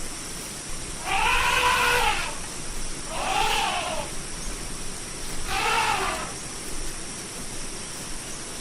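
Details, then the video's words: Elephant trumpeting: three arched, blaring calls about a second each, rising and falling in pitch, spaced around two seconds apart, with constant background hiss. "SOM DE ELEFANTE: O Barulho Real do Maior Animal Terrestre do Mundo"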